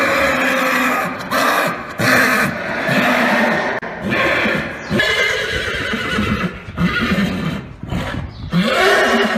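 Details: Horse neighing, from a collection of male, female and young horse sounds: a run of rough, harmonic whinnies in bursts, broken by short gaps, with some hoof thuds underneath.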